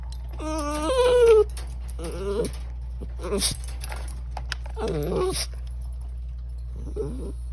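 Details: A pet Chihuahua making silly vocal sounds indoors: a loud rising-and-falling whine near the start, then shorter wavering whimpers and yips spread across the clip, over a steady low electrical hum.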